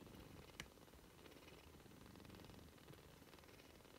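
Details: Soft, continuous purring from British Shorthair kittens at three weeks old: an even, fast-pulsing low rumble with one brief sharp click early on.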